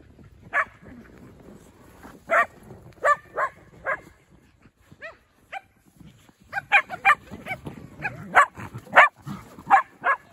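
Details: Shetland Sheepdog at Angel Forest, giving sharp, bright barks: a few spaced single barks early on, then a quicker run of about ten barks closer together in the second half, with quiet background between them.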